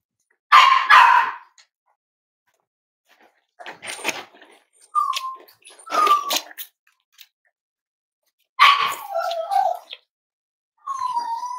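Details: Cavalier King Charles Spaniel puppies, five weeks old, from Myra and Remy's litter, handled indoors for weight checks at Red Barn Cavaliers: scattered high yips and short, downward-sliding whimpers separated by quiet gaps.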